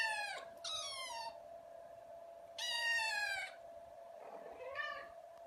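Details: Indoor house cat giving four drawn-out meows, each with a falling pitch contour, the last one softer, against a constant background hum.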